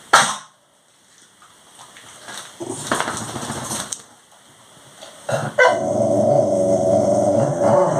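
A Labradoodle makes grumbling, talkative vocal noises while begging for its dinner.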